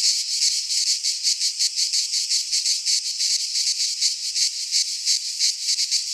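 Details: Singing cicadas in a Greek pine forest in midsummer; a bright, rattling high drone pulsing in rapid regular beats, about three swells per second, with faint low rumbling beneath.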